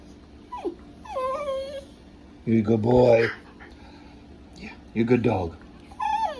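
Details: Pet Welsh terrier vocalizing with odd, talkative noises: thin high whines that bend downward, then a deeper, rough, drawn-out moan, another short grumble, and a final high whine, in a quiet room.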